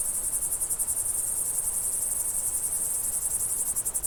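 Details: Summer countryside crickets producing a loud, rapidly pulsed shrill chirping that swells and dips in regular beats over a soft low background hum.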